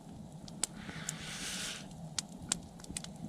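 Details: Outdoor night recording with soft rustling, a brief hiss and a few sharp clicks and snaps over a low steady hum; no animal voice heard.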